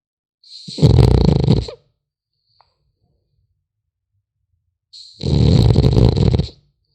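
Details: French Bulldog puppy snoring while asleep: two long, rumbling, pulsed breaths about four seconds apart, each lasting over a second, with near silence in between.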